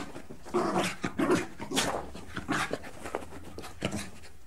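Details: Dog giving rough, noisy barks and growly bursts in rapid, irregular succession, sounding close and enclosed as if in a small room, with panting between outbursts.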